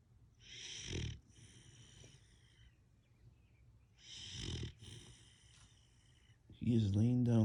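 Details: Siberian Husky puppy asleep, snoring in two slow, rasping breaths, one near the start and one midway, with quiet pauses between; a person speaks briefly at the end.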